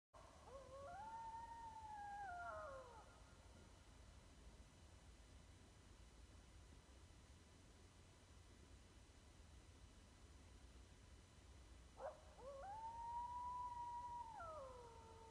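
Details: An East Texas coyote gives two long, wavering howls that rise, hold, then slide down, with a long pause between.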